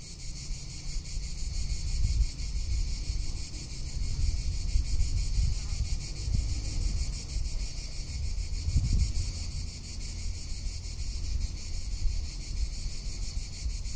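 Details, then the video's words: Cicada calling in a Tuscan summer, a sustained shrill rattling drone pulsing rapidly without pause, accompanied by rumbling wind buffeting throughout. "Cicada or Cigarra - Sounds of summer in Tuscany"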